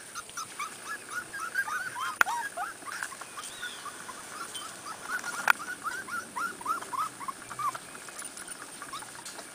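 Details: Corgi puppies from Beth's litter, outside for the first time, give a steady stream of short, high, upward-curving squeals and whimpers, overlapping and repeated many times a second, with two sharp clicks and faint background hiss.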